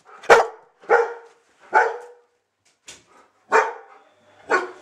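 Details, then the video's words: Schnauzers Bodie and Eric, two great friends, letting off steam in a play rumpus. Six sharp, loud barks sound roughly once a second. The fourth bark is short and faint. Quiet gaps fall between the barks. "schnauzer play rumpus !"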